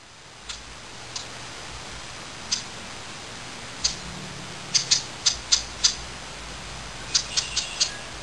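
American red squirrel giving sharp, sudden chip notes at irregular intervals, some in quick bursts.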